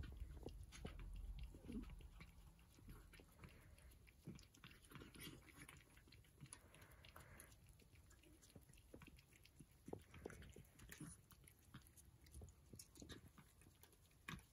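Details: Several Persian cats at breakfast, with steady, rapid chewing and crunching in a quick uneven rhythm, plus low thuds and soft wet mouth sounds throughout.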